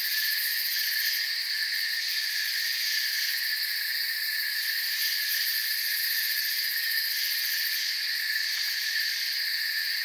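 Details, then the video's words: Crickets in a calm forest produce a steady, high, rasping trill chorus of several pitched layers, gently pulsing but never stopping, with no birds, wind or people audible. "Forest Sounds and Crickets"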